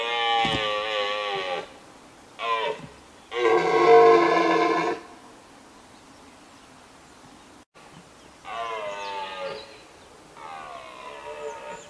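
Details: A red deer stag in Richmond Park bellows in loud, hoarse, groaning roars separated by short pauses during the rut.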